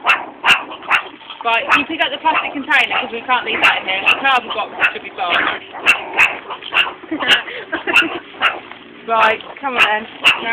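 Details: Meerkats at a college feeding on mealworms in tubes keep up dense, rapid barking and raspy growling, many short calls overlapping irregularly, while keepers talk and plastic tubes clack.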